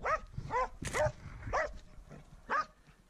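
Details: Swix, a dog meeting a wild boar for the first time, bays with close, hoarse barks roughly once a second in an uneven rhythm, with rustling in between.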